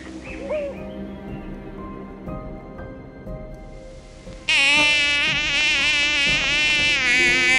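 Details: Mosquito buzzing in flight, a loud, wavering, whining hum that rises and falls in pitch, starting suddenly after a few seconds of soft steady musical tones that keep playing underneath.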